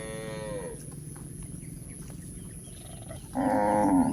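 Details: Cows journeying on a hill: a fading, downward-sliding moo at the start, quiet footsteps and rustle, then a loud, flat, sustained moo to the close.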